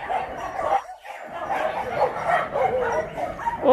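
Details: Dogs at the Yangsan Mindeulle shelter for abandoned dogs in Korea, heard during a volunteer visit; many dogs bark and yip together in a dense, continuous chorus, with a brief lull near the one-second mark.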